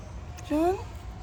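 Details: Domestic cat giving one short meow, a clear harmonic cry rising slightly in pitch and lasting about a third of a second, over a steady low background hum.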